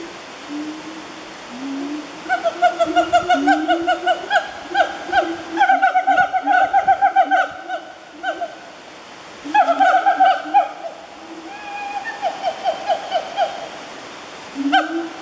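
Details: A wild siamang (Symphalangus syndactylus) family at Fraser's Hill, Peninsular Malaysia, on 12 January 2014, calls with loud rising whoops and fast runs of ringing, barking hoots.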